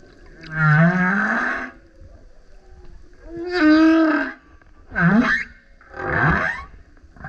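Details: Male humpback whale singing loudly while surfacing beside a kayak: a series of four separated harmonic units, moaning rises, a quick upswept whoop and a rough howl, each about a second long with short pauses.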